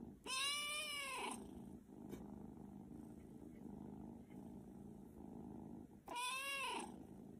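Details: Domestic cat giving two long, arching meows, each rising then falling in pitch and about a second long, separated by several seconds of steady low rumbling background.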